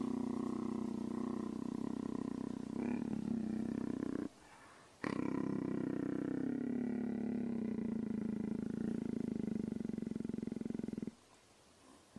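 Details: A male leopard gives a deep, steady rumbling purr with rapid pulses, broken by brief pauses, while being petted.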